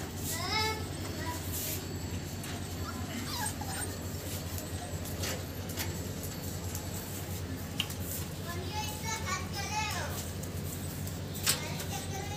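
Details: American Bully puppies, show quality, giving thin, wavering whimpers that rise and fall in pitch, in short clusters, while people talk close by.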